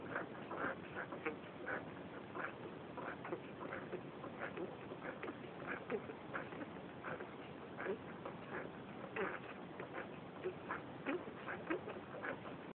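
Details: Five 11-day-old Cairn Terrier puppies give a steady stream of short, nasal squeaks and whimpers that overlap one another.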